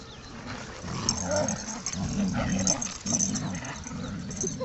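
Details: Play growls from a saluki puppy, Amir, six months old, and Sasha the malamute romping together in Beckenham Place Park in March 2012, deep sustained growling in several swells with occasional thin whines above, outdoors.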